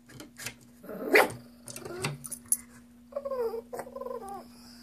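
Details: Indoors, the Shih Tzu Chrissy makes strange alien-like sounds while waiting for dog snacks: a gruff snorting grumble, then a quick series of sliding, whining warbles, with a low hum throughout.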